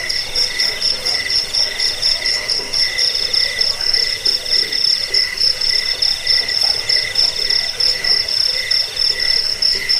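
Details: Jangkik crickets, in audio meant for driving off rats, bringing sleep and training cage birds: continuous piercing high trill made of rapid pulses, overlaid by a softer lower buzz that swells and fades in short regular bursts.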